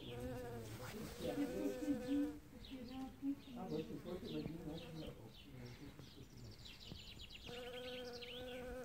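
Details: Bee gathering pollen in early spring among newly opened flowers; a low humming buzz that breaks off and resumes, steady for a couple of seconds, then fluctuating, with faint high twittering behind.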